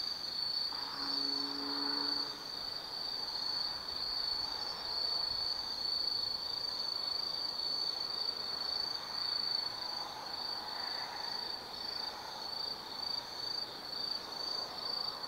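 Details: Autumn insects singing after dark in the Tsukimi no Mori woods, Kaizu, Gifu Prefecture, Japan, at a 180 m viewpoint; an unbroken shrill high trill runs throughout, with a short low humming tone near the start.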